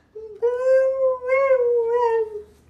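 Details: Husky giving a drawn-out, smooth, tonal howl lasting about two seconds, with slight rises and dips in pitch and a soft, quiet onset.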